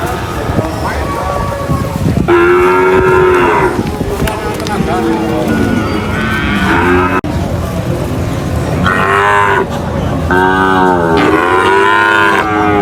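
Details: Cows being unloaded from a truck at a market, mooing loudly in long, drawn-out harmonic calls that overlap one another, with steady crowd and market noise throughout.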